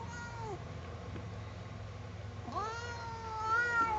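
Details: Indoor house cat objecting to a comb: a short falling meow, then after a gap a longer, strained, wavering yowl that climbs and then sags, with steady low background hum.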